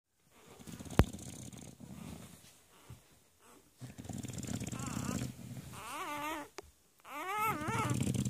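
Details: Newborn Bernerbully puppies, English Bulldog mother and Bernese Mountain Dog father, just hours old after a c-section at The Ohio State University Veterinary Hospital, Columbus, Ohio, April 11, 2016. Soft rustling at first, then wavering high squeals in bursts near the end.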